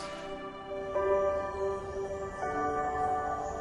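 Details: Soft ambient music with sustained, bell-like tones that shift chords every second or so, and no animal sounds.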